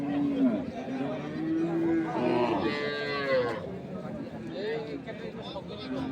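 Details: Lowing of Sahiwal, Sindhi or local dairy cows and calves at Ambari market, Dinajpur, Bangladesh, recorded 3 February 2025; several short moos, one rising then falling, amid dense market talk and background music.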